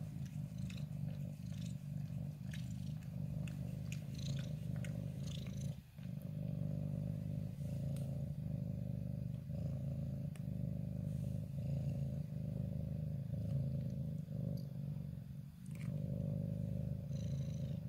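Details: A ginger cat purring while settled in a favourite corner and nuzzling close to the camera, recorded 14 January 2023; a deep, rumbling, continuous purr with rhythmic pulses, briefly interrupted twice, with faint clicks and rustles.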